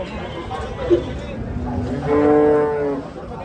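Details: A cow lets out a single steady, low moo of about one second, rich in harmonics, with faint background chatter before it.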